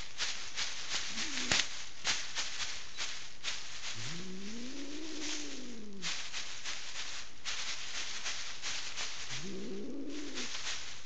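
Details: Angry female domestic cat in Kitchener, Ontario, Canada, refusing to leave her owners' bed while a stranger tries to remove her; two drawn-out, rising-then-falling low yowls amid steady broadband rustling and scraping noise.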